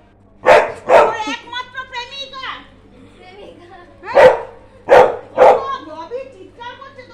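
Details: Labrador Retriever kept as a pet, giving five sharp, loud barks: two in quick succession early on, then a tight group of three about three seconds later, with a person talking steadily in between.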